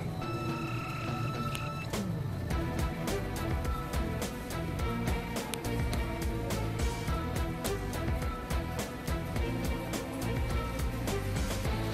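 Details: Busy instrumental music with a steady beat and sharp percussive hits plays throughout, with no animal sound.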